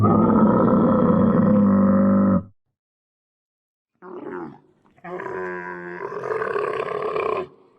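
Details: Dromedary, a real recording in 8D audio: a long harsh moaning bellow, then after a pause a short gurgle and a rising, rasping roar, all against silence.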